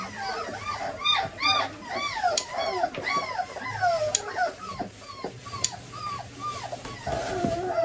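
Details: German Pointer puppies whine as their nails are clipped: clear, arched, high-pitched whimpers in quick bursts, each curving up then down. A few sharp clicks are heard, with faint voices in the background.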